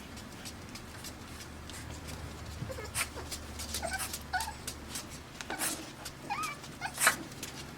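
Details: Five-week-old Pembroke Welsh Corgi puppies from Arkansas, born June 20, 2026, make short rising squeals and thin whines, loudest near the end, over a low steady hum with clattering clicks and knocks.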